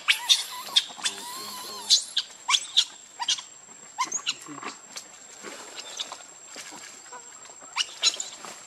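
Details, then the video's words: Hungry baby monkey Rainbow begs its mother for milk with repeated sharp, piercing squeals and wavering whines, loud bursts coming several per second, then thinning to softer scattered cries over a constant thin high tone. "Baby Monkey RainBoww Asking Milk Mom"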